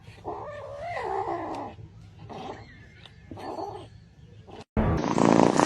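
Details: Domestic cat from a funny cat compilation uttering long, wavering, moaning cries in three drawn-out bursts. A sudden cut ends in a loud burst of noise.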